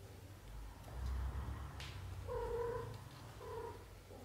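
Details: British shorthair kittens growing up during their first month, born to mother Samel: a clear drawn-out meow lasts about half a second, followed by a shorter one, over low rumbling and a sharp rustle.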